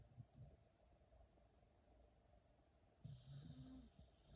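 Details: One of two sleeping dogs, Teddy among them, snores indoors. A low, faint rumbling snore opens the recording, then stronger snorting bursts arrive near the end. The room is otherwise quiet.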